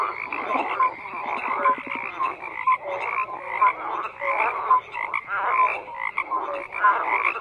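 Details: A dense chorus of frogs croaking together, overlapping pulsed croaks in bursts of roughly one second, with short tonal notes threaded through the steady mass of calls.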